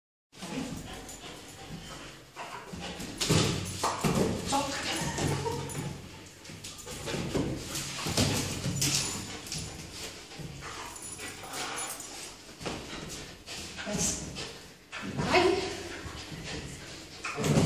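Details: Plata, a six-month-old dark fawn sable Belgian Malinois puppy from a kennel in Italy, doing bitework training: rough, noisy vocal bursts that come again and again throughout, mixed with a handler's short Italian commands and praise.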